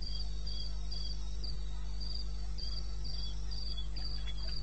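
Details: Short burst of cricket chirping from eastern Botswana wilderness at 2:30 am in May; high pulsed chirps come in slightly uneven groups, several per second, over a low droning hum and a few soft knocks.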